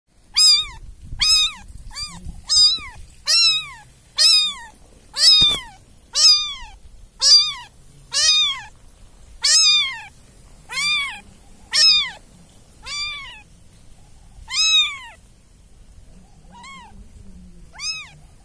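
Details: Kitten of a domestic cat meowing: a steady series of about fifteen high, clear, arched mews, each under a second, spaced roughly one per second, rising then falling in pitch, with faint low background rumble.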